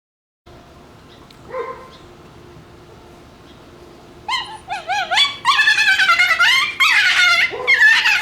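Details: Shiba Inu puppies playing over a bone, making strange fox-like sounds: a brief yelp near the start, then from about four seconds a run of loud, harmonic, wavering screams and yowls, closely repeated and rising in intensity.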